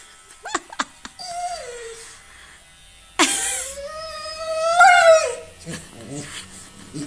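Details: Siberian Husky indoors having its fur shaved, protesting dramatically: a brief falling whine, then a long, loud, harmonic wail rising in pitch and ending in a wavering cry, preceded by sharp clicks, with faint voices nearby.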